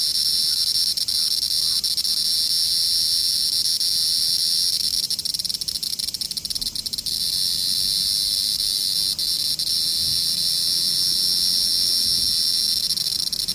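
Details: Steady, loud cicada buzzing: a high, hissing hum that holds at an even pitch and volume throughout, with brief faint ticks partway through and nothing else clearly heard.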